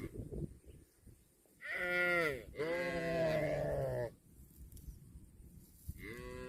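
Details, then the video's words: Cattle grazing on grass. Two loud, rich moos come back to back: a short one rising and falling, then a longer bending one. A third moo starts just before the end, over soft low rustling. "CUTE AND FUNNY COW SOUND EATING GRASS COMPILATION - COW MOOING"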